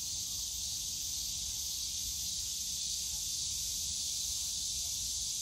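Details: Cicadas singing in the bamboo forest of Yongsan Family Park on a summer day, a constant piercing buzz at high pitch, with quiet low-frequency city and park murmur.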